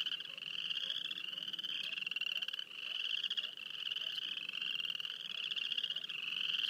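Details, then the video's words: A dense chorus of frogs near Wayne, Alberta gives high, pulsing trills that overlap into a nearly unbroken ringing drone. "Field recording of frogs near Wayne, Alberta."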